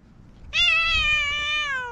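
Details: Stray white cat in a park in spring, quarrelling with a ginger tabby, gives one sustained, slightly falling yowl with clear harmonics, lasting over a second after a short quiet lead-in.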